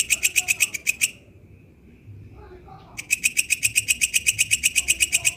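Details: Walang kecek katydid calling in its natural habitat: shrill buzzy pulses at about four per second, stopping for roughly two seconds midway, then resuming at the same brisk, even rhythm.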